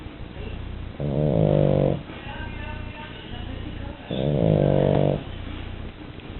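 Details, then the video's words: French Bulldog asleep, giving two loud, drawn-out rattling snores about three seconds apart, each near a second long, separated by softer breathing, over a constant low hum. "Bulldog frances Duna roncando"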